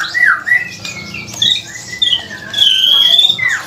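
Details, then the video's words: Captive white-rumped shama singing after recovering from a cough; loud, varied whistled phrases with rising and falling slurs, sharp clicks and a long bright trill near the end. "Murai Batu Gacor setelah sembuh dari batuk cekrek cekrek | murai batu cekrekan"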